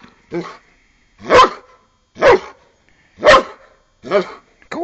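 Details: An eight-year-old Giant Schnauzer playing like a pup, attacking its owner's foot: a run of short, gruff barks and growly yaps about once a second, five or six bursts with silence between.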